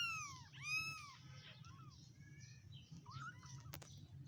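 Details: Tiny week-old stray kittens giving one strong rising-falling mew followed by softer, wavering squeaks and chirpy cries, with a low steady hum and a brief click.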